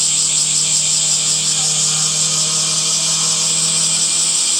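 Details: Summer cicada chorus in green trees, one unbroken high electric drone with a slight pulsing shimmer, loudness flat from start to finish, a low steady hum in the background.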